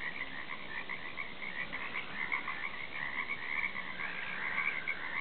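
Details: Croaking frogs heard from a back deck, many callers overlapping in a steady, pulsing mass of high, rattling trills that swell slightly toward the end, with no other clear sounds.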